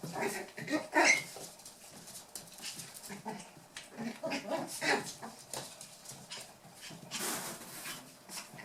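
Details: Toy poodle puppies, eight weeks old, at play in Tami's final litter, with grumbling little growls and a sharp squeak near the start, over constant scrabbling paws and soft panting noises.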